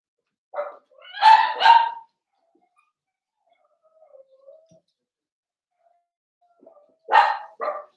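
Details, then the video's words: Cavalier King Charles Spaniel puppies playing in a home puppy pen: a quick burst of three high barks, a pause with a faint low whine, then two more barks. "Cavalier Puppies Live: Puppies Playing"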